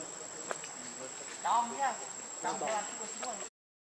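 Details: Baby monkey named Leo, hungry and crying to beg its mother for milk: two short bursts of whining, harmonic cries that arch up and then fall, about a second apart, over a constant high-pitched insect drone.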